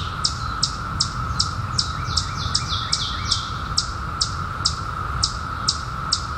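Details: Periodical cicadas, newly emerged in 2021 after 17 years, hold a level droning chorus. High bird chirps sweep downward at steady intervals, with a few fainter, lower bird notes in the middle.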